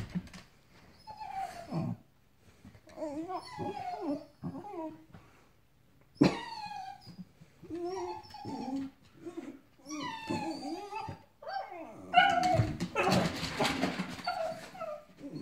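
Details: Several dogs cry after a squirrel they are chasing in the morning heat: a long run of excited whines and yips, with short, falling, squeaky cries coming every half second or so, and a burst of noisy scuffling near the end.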